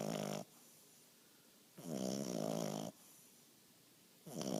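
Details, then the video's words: Sleeping English bulldog puppy snores: a short snore, a longer rough, buzzy one lasting about a second, then another beginning, separated by near silence in a small room. "English bulldog puppy snoring"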